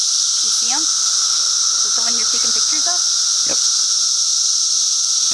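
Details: Brood XIV periodical cicadas swarming at Foster Joseph Sayers Lake, Bald Eagle State Forest, Pennsylvania, fill the air with a constant shrill whine and underlying buzz; short bursts of human conversation break in several times.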